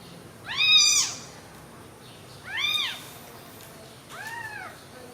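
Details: Three separate mews from newborn baby kittens lying together: a strong arched cry, a second slightly softer one, then a fainter, lower-pitched last mew, with quiet gaps between.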